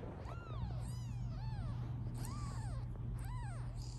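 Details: British Shorthair kittens aged 16 days, a litter of five from a black cat, utter loud insistent mews, each rising then falling, several per second, with a low electrical hum behind and a woman soothing them afterwards.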